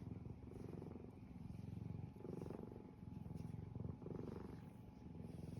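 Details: Pet cat purring contentedly beside its owner, a low continuous rumble swelling and easing in slow waves about every two seconds, quiet and close.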